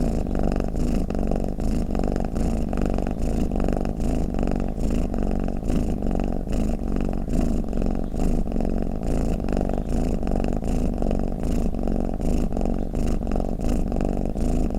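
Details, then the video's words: Domestic cat's snoring purr, a rough, low, continuous thrum of fast, even pulses with slight rhythmic swells in loudness, with nothing else heard. "เสียงแมวกรน เปิดให้แมวฟังเคลิ้มๆไปเลยค่ะ | Snoring Cat"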